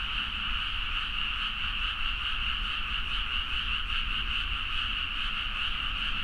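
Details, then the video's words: Midnight chorus of frogs in rural rice fields, Nagaoka, Niigata, Japan, taken with a Zoom H4n: continuous, pulsing mass of croaks from countless callers, steady in loudness, with low background rumble. "The frog sound at mid night (環境,自然音 -深夜のカエル大合唱-)"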